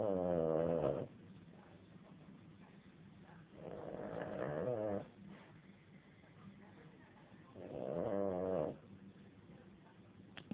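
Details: Domestic dog snoring, three long rasping harmonic snores about four seconds apart, each roughly a second long, with quiet breathing between them and no other clear sounds.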